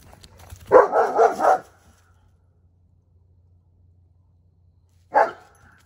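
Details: German Shepherd outdoors at night by a backyard fire pit; a quick burst of three or four deep rough barks run together, a pause of over three seconds, then one more single bark, with a faint low hum behind.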